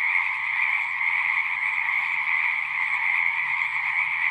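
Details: Continuous chorus of singing frogs, many callers blending into a steady trilling hum, loud and even from start to finish, faint low murmur underneath.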